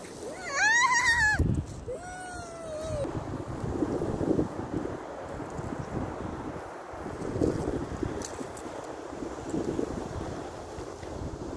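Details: Dog crying while being carried away against its will: a high, wavering whine rising and falling for about a second, then a longer, sliding, falling whimper, followed by steady wind noise and rumbling.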